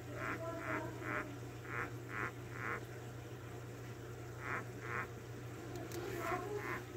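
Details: Hermit crab chirping: a run of short, buzzy mid-pitched pulses about two per second, pausing for over a second midway and then resuming, over a steady low electrical hum.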